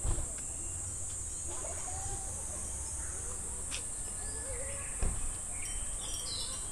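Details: Cicadas singing in summer at Namegawa Shrine in Sukagawa, Fukushima Prefecture, Japan: a steady, high, hissing drone running unbroken throughout, with a few short bird chirps and whistles and a couple of sharp clicks.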